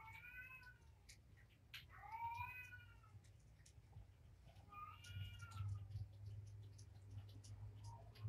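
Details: Domestic cat meowing indoors at dinnertime for Patience's litter of five kittens, four males and one female, fostered through Purrfect Pals; three drawn-out harmonic meows, each bending slightly downward, spaced a few seconds apart over low room hum and faint eating clicks.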